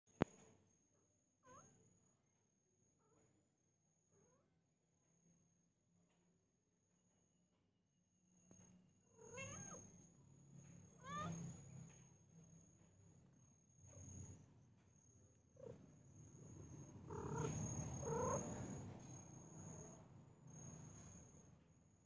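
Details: Domestic cat or kitten meowing indoors: a near-silent start with faint short sounds, then several rising-falling meows from about nine seconds on, growing louder and denser toward the end, with a steady high electronic whine throughout.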